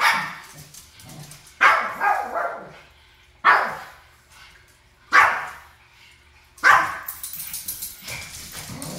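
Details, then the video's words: Japanese Chin family squabble, the parents fighting and the daughter joining mommy's side; five loud separate barks roughly every one and a half to two seconds, each trailing into a short growl. "when mama &papa fight, daughter is mommy side.#Japanese chin family"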